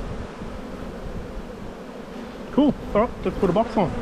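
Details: Honey bees humming steadily during a spring hive inspection in the bee yard, 7-9-22; a low, even drone fills the first seconds before a person's voice breaks in near the end.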